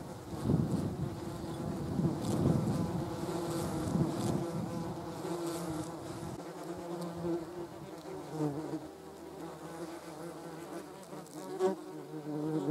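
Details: German wasps, or yellow jackets, gathered on a jam jar. A steady droning hum with layered overtones from several wasps at once, loudest early on, then thinning to a softer continuous buzz.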